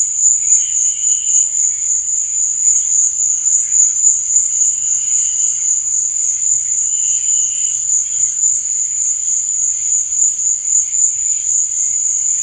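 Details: Continuous high, even trilling of crickets at night, never pausing, with short lower buzzy phrases surfacing at several points.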